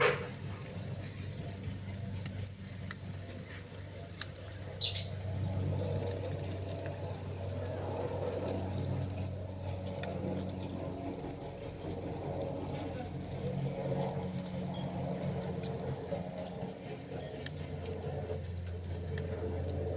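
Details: Cricket chirping steadily, a high, bright pulsed trill repeated about twice per second without pause; faint low room hum and a brief soft thump near five seconds underneath.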